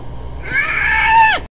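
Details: Hyena voicing one sustained tonal call about a second long, rich in harmonics, holding fairly steady in pitch before dropping sharply at the close; no other sounds stand out.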